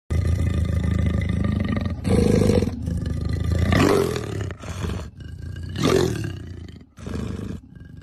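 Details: An angry leopard gives deep, rough growls and snarls in short bursts, with harsh rasping peaks.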